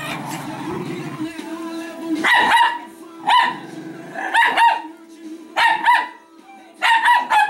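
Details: Italian Greyhounds Speckle and Shimmer in playful tug-of-war combat, giving loud, clipped barks in short bursts roughly once a second, with a faint low hum and some background music between volleys.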